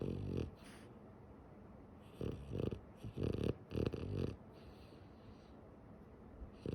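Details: Female French bulldog sleeping with her eyes open, giving short wheezy snorts and breathy snores in uneven bursts, several clustered between two and four and a half seconds, with a steady background hiss.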